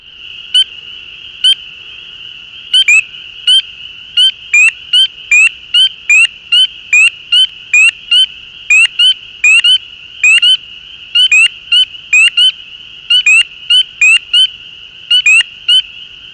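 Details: Spring peeper (Pseudacris crucifer) calls recorded 10 April 2013: shrill, rising peeps repeated rapidly over a steady chorus hum.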